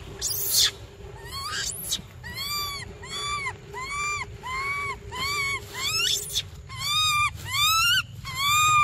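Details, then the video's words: Baby monkey crying for milk: a steady run of loud, wavering, arched wails, each rising and then falling, repeated roughly once a second with short gaps. There is a low hum underneath and a few sharp knocks near the start. "Desperate Baby Briar Cries For Milk - Emotional Monkey Standoff"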